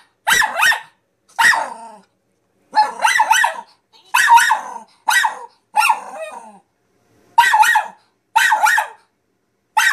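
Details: Zora, a nine-month-old Min Pin, barks at a talking piggy bank: high, harsh yaps in clustered pairs and threes, roughly every second or so, with silent gaps between bursts.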